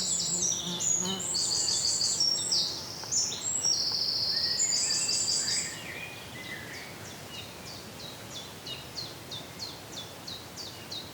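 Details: Indian flying fox feeding on Ashoka seeds in Pune, Maharashtra, giving shrill, harsh squeals and chattering screeches, followed by a run of quick high clicks.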